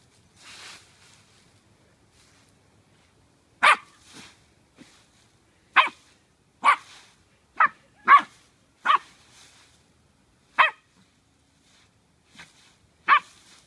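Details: Scottish Terrier puppy playing in the leaves, giving about nine short, sharp barks at uneven intervals over fourteen seconds, with soft rustling and quiet gaps between bursts.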